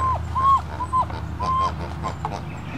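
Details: German Shepherd puppies from a litter at play give high, thin, level whines, four drawn-out tones with small falling tails, mixed with short yelps, over a steady low hum.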